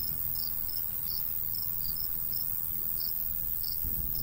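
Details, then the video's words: Countryside crickets in summer near a golden wheat field; clear high-pitched chirps recur roughly every half second, irregularly spaced, over steady hiss and a gentle low breeze. "Countryside/cricket sounds"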